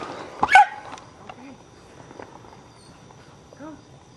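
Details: Yappy dog giving one sharp, loud, high bark early on, followed by quieter short yelps and soft whines against a quiet room background.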